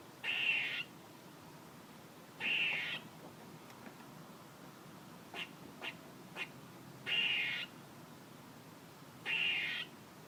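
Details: A series of four coarse, breathy squirrel rasps, each about half a second long and spaced two to three seconds apart, with a few quick soft ticks in the middle gap.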